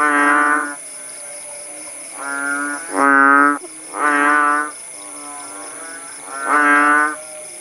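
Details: After the rain eased at Paya Bujok Tunong, Langsa, Aceh, kodok bangkong frogs answer one another with about six low, drawn-out, nasal moos, some loud and close, others softer, over a continuous high-pitched hum.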